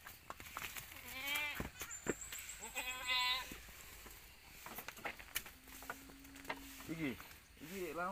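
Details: Young goat kids, part of a litter of nine born in one week to four does on a Pacitan village farm, give short wavering bleats between stretches of conversation in Javanese.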